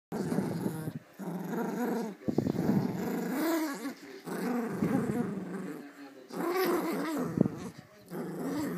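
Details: Two female Pomeranians, a small one and an adult, play together over a toy; the bigger dog growls while playing. Low rumbling growls come in bursts of about one to two seconds, broken by short pauses, with some scuffling.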